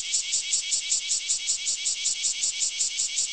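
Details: Morning chorus of cicadas loud enough to wake the household every day. A high, hissing buzz pulses in steady beats, about five per second, throughout.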